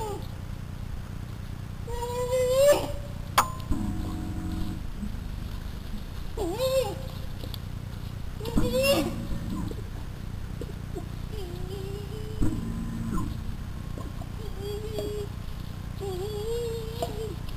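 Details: Lost American black bear cub crying loudly and frantically for its mother after she and two siblings left a deer feeder, seen on Hidden Pond cam on August 20th, 2009; short wavering mid-pitched cries repeated every few seconds over steady low hum.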